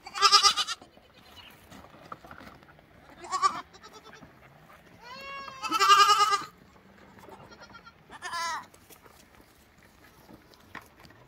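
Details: Lambs calling with bleats spaced a few seconds apart: a loud opening bleat, a shorter one, then a rising-falling bleat merging into a strong quavering bleat, and a final brief bleat, with quiet gaps between.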